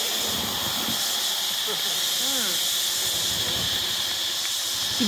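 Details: Cicadas in a big chorus beside a beach on Koh Samui, Thailand, giving an unbroken, shrill, buzzing wash of sound throughout, with faint talking underneath.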